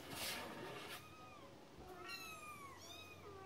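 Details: Cat meowing three times in quick succession, each a clear, harmonic cry sliding downward in pitch, after a burst of broadband rustling noise at the opening.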